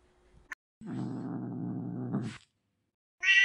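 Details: Angry domestic cat producing a low, steady, rumbling growl for about a second and a half, followed after a pause by the start of a higher meow.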